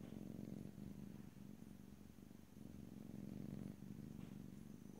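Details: Domestic cat purring in close stereo, a steady low rumbling buzz that swells and eases in breaths about every second and a half, with no talking.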